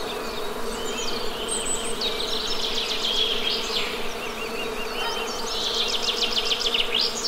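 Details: ['Steady humming buzz of honey bees runs throughout, overlaid by prominent birdsong: rapid repeated high chirps, trills and sweeping notes in several bursts.']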